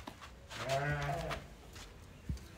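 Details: One wavering, quavering bleat lasting nearly a second from fat-tailed sheep newly arrived at a trader's pen in Uzbekistan, set between quiet stretches with a few thumps and faint voices.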